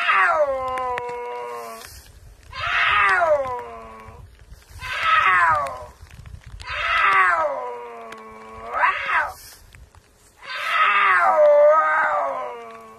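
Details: Puma meowing repeatedly: long, wavering, harmonic calls lasting one to two seconds, some sliding down and others rising at the end, five bouts separated by brief pauses with faint low rumble between.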